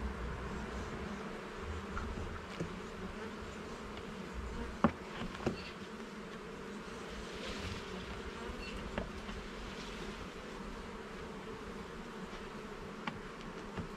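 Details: Continuous low buzzing drone of a honey bee colony as a garden hive is inspected frame by frame, steady and even for the whole stretch, dotted with occasional faint taps and clicks.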